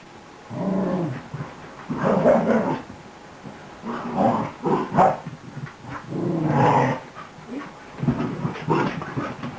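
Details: Beagle mix puppy, a new arrival, playing boisterously indoors: drawn-out growls of about a second each, coming roughly every two seconds, rough and harmonic, with brief gaps between.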